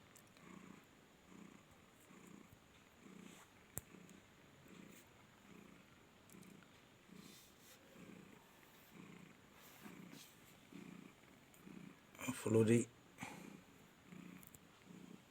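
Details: Purring of Flori, a cat kept at the Noyabati cat market, Khalishpur, Khulna, content and happy. Steady low throbbing strokes repeat about every three-quarters of a second, with a brief sharp clatter near the end.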